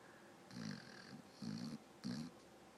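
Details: Sleeping dog snoring while twitching: three rough, buzzy snores, each about half a second long, coming roughly every 0.7 seconds, with a faint high hiss.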